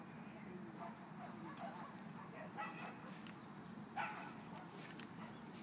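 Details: Dogs playing at a dog park: a few short, sharp barks stand out around the middle of the clip over a steady murmur of outdoor background noise.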